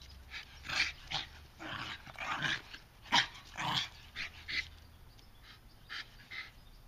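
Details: Two bulldogs at play, trading short gruff growls and a few sharp bark-like yelps in separate bursts about half a second apart, the sounds fading toward the end.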